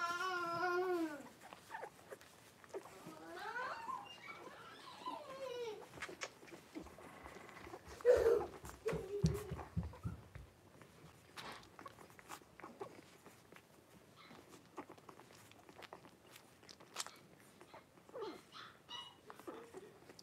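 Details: Litter of five blenheim Cavalier King Charles Spaniel puppies with mother Paris in an indoor puppy pen, January 2023. Loud harmonic wailing cries open, then quavering whimpers, a low thump, and scattered faint squeaks over rustling bedding.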